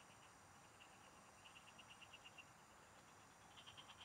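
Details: Frogs calling in farm fields during a fishing outing give a run of quick, evenly spaced clicking pulses, then a fresh burst at the end, over a constant shrill insect drone and hiss.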